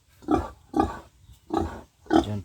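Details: Backyard-farmed pig, a young sow-to-be in its pen, grunting four times in a steady rhythm. Each grunt is short, throaty and nasal, with brief silences in between.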